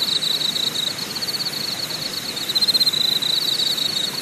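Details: Deokyudae Camping Site, Deogyusan Mountain, Korea: a dense high buzzing insect trill made of rapid pulses, briefly louder in bursts, set against a constant soft hiss.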